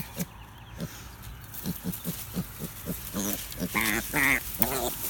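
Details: Piglet picked up and held, which it does not like: a run of short, evenly spaced grunts, then loud, harmonic squeals rising sharply in pitch, repeated three or four times in quick succession toward the end.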